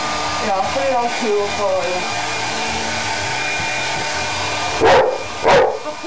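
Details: Toby, a Labrador Retriever, being dried with a hairdryer after a shower, gives two sharp barks near the end over the steady roar of the dryer, after earlier whining tones.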